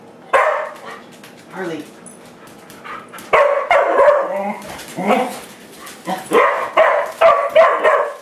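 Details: Household dogs that cannot stand brooms bark and yip repeatedly at one, about two to three barks per second in the busy later half, with speech from people playing alongside.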